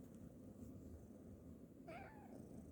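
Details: Orange kitten asleep on a person's lap, snoring and purring: a steady low rumbling texture throughout, then a short rising-and-falling meow-like call near the end.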